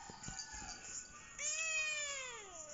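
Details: A female Siamese cat, a talkative breed, meows back non-stop at her owner one evening indoors; after faint murmuring, a loud, drawn-out harmonic meow rises then slowly falls, with a steady background hum.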